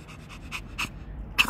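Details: Ponçik, a female Pomeranian, pants outdoors on grass after half an hour of chasing a ball and tiring herself out. Five short, breathy, hissing pants come at uneven spacing, and the last is the loudest. A soft wind rumble sits underneath.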